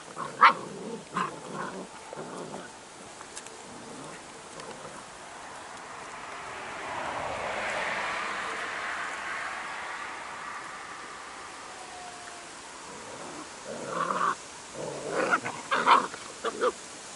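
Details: A 2018 B² litter of Airedale Terrier puppies indoors while a storm blows outside. Short, squeaky, high whines and yelps come in clusters at the start and again near the end, with a broad rushing wind-like swell in the middle.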